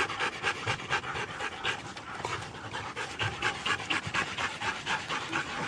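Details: Siberian huskies at a race in East Anglia pant steadily in quick, airy gasps, a rough rhythm of about two breaths a second, loud and close throughout.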